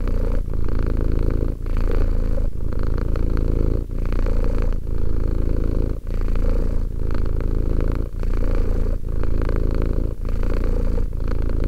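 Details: Continuous low purring from a two-year-old cat, a deep buzzing rumble with short breath breaks about every one to two seconds, steady and even in loudness throughout.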